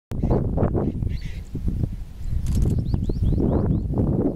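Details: An Indian striped hyena gives low, rough grunting bursts, with faint rising chirps of a small bird behind.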